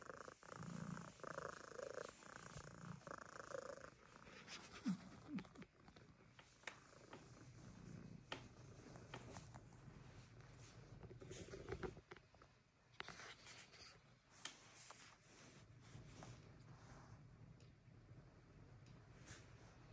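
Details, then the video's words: Cracker Jack, a Siamese cat at Flip Flop's Animal Sanctuary farm, purring with a loud, steady, rumbling rhythm, broken by scattered handling noises and clicks. "Siamese Cat Cracker Jack Has The Loudest Motor."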